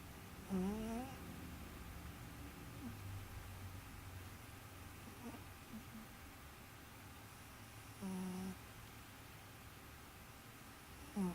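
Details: Sleeping domestic cat snoring indoors: three short, soft voiced breaths, each a rising nasal tone lasting about half a second, spaced several seconds apart in a quiet room.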